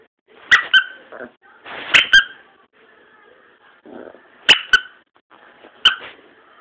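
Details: A dog named Boston giving its first bark, short sharp high yaps in pairs separated by pauses, with soft muffled whimpering between them in a quiet room.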